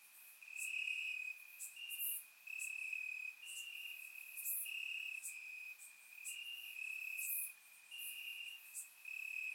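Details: Crickets chirping in grass on a warm summer night in Bulgaria, captured with a surround microphone: a steady, high, narrow-pitched trill broken into pulsed bursts of about a second, with brief brighter clicks above and no other sounds.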